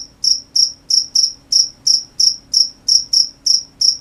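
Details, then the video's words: Crickets calling at night, each chirp a short bright high-pitched burst, some in close pairs, about three per second, clean and loud against near silence. "The sound of crickets at night"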